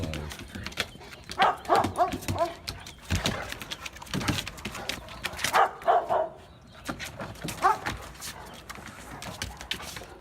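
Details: Two dogs said to be in love, one submitting to the other; short high whining and yelping notes come in bursts amid rustling and handling noise, with low voices in the background.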